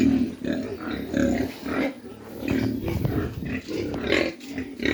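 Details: Mini pigs on a farm in Dimapur, Nagaland, giving rough, low grunts in irregular bursts, some overlapping, with a few brief squeaky notes and background farm noise.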